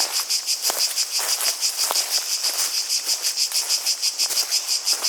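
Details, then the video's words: Cicadas calling: a clear, shrill buzz throbbing in even pulses about three per second, with a few faint low taps beneath an otherwise quiet background. "Relaxing Sounds of Cicadas, Water, Steps"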